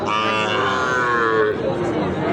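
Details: Sahiwal bull calf at a weekly livestock market in Bangladesh: a steady, nasal moo held about one and a half seconds, then fading, amid crowd chatter.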